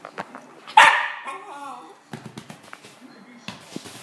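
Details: A single loud bark from a West Highland white terrier, trailing into a wavering whine, with soft taps and faint speech afterward.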